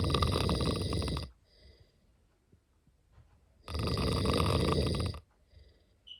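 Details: Sleeping cat snoring indoors: two long, loud, rasping breaths about two and a half seconds apart, each a rough, buzzy rumble with a bright hissing edge, separated by quiet pauses with soft breathing.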